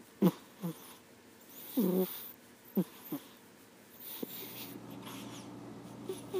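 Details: Sleeping panda snoring: short wheezy, snorting breaths in irregular bursts, a longer rasping one near two seconds, then a steady low hum in a small indoor room.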